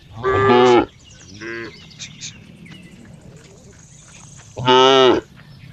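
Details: Cow calling with two loud, brassy moos about four seconds apart, plus a softer, shorter moo-like note in between; low rustling and faint clicks fill the gaps.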